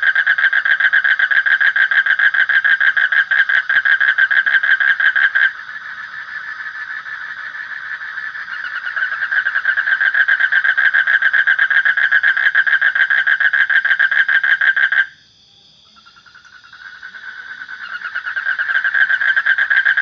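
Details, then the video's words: Continuous rattling frog trill with dense, rapid pulses, dropping in volume for a stretch and breaking off briefly near the end before resuming. A steady high thin whine is present throughout. "Suara Kodok / Frog Sound"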